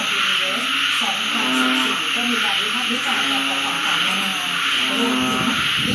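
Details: First rainy-season frog chorus at a home in Uttaradit, Thailand, at night after rain starts, a sound absent for more than six months; rapid repeated croaking notes overlap against a constant high hiss.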